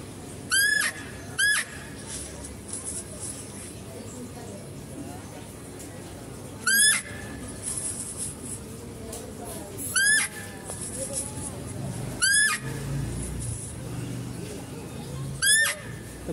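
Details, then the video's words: Female deer calling at a zoo while a male deer is being fed: six short, piercing, upward-sweeping squeals spaced irregularly a few seconds apart, over murmuring background noise and faint voices. "mendengarkan suara rusa betina"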